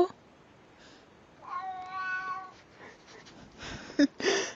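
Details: Domestic cat meowing a greeting indoors: one drawn-out, steady harmonic meow of about a second, followed by a person's spoken hellos and short bursts of human voice.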